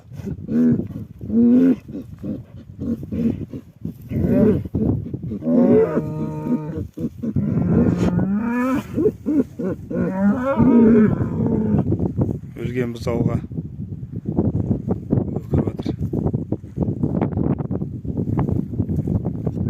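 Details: Cattle lamenting a dead animal: loud, drawn-out moos, some rough and bellowing, others tonal with a steady pitch, come in overlapping bursts through the first thirteen seconds. They are followed by a noisier, lower stretch of grunting sounds.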